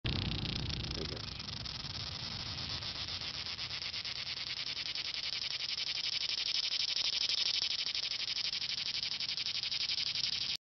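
Cicadas fill the air with a continuous, shrill buzzing made of very fast pulses. The dense, even drone holds its loudness throughout, with only a faint low rumble underneath.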